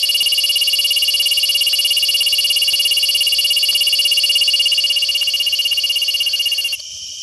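A cicada sings a steady, high, shrill buzz that pulses rapidly and stops abruptly near the end.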